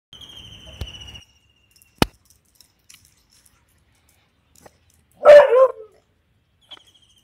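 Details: Beagle named Veany on its second day in a dog hostel, giving a single loud, harsh bark near the end, after a soft low rumble and a few clicks, with a faint whistle-like tone early on.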